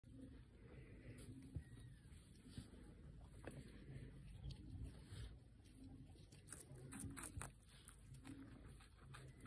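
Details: Guinea pig named Pancake eating capsicum indoors: bursts of crisp crunching and clicking bites, clustered toward the end, over a steady low hum.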